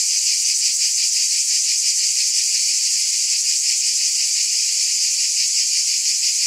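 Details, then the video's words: Cicadas keep up a loud, even, sizzling buzz, lightly pulsating, with nothing else audible behind it. "Scintillating Cicadas"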